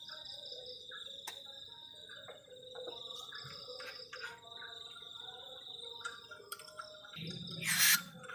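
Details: Night-time crickets at a forest-edge camp on a cold night give an unbroken high, even trill, with occasional faint chirps and clicks and a loud crackling burst near the end.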